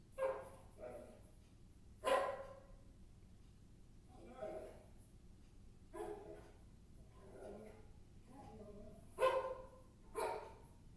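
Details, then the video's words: Dog named Maggie giving a string of about eight loud barks spread irregularly over eleven seconds, each bark short and bright with a quiet room between them. "Maggie barking sounds"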